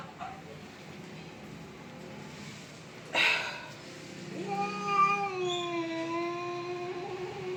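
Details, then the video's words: Cat squaring off against another cat in a fight: after a quiet start and a short burst of noise, a long, steady, tonal moaning yowl builds and holds for over three seconds. "My cat's VS another cat funny fight videos"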